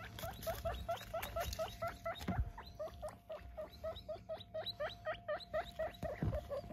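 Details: Guinea pigs, eight kept together, calling while they are weighed. Rapid repeated rising squeaky wheeks, about two per second, run through the whole stretch, with low rustling and handling noise underneath.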